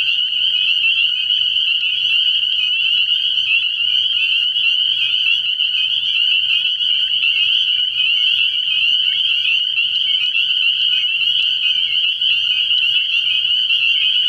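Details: Night-time early-year frog pond chorus of spring peepers, countless high piping calls blending into one continuous shrill whine that holds steady in pitch and loudness for the whole stretch.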